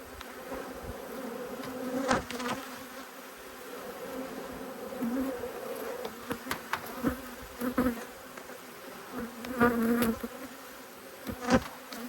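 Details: Two honey bee hives, angry at being opened for inspection, give off a sustained low buzz with gentle surges. Sharp knocks and clicks from the hive work punctuate it now and then.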